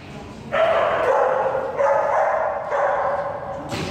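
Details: Crunchy, a nervous, submissive female Jack Russell Terrier at a board-and-train doggie bootcamp, gives three sustained, harsh barks in a row, each lasting close to a second with short gaps between them.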